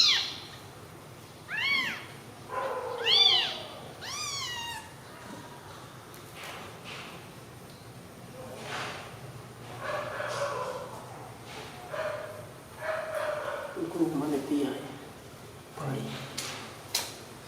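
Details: Newborn kittens resting together after milk: a quick series of high, arched mews in the opening five seconds, followed by softer low sounds and muffled human talk.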